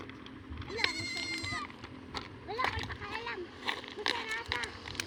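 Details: Goats being herded by children, wavering harmonic bleats around one and three seconds, mixed with children's chatter and shouting throughout.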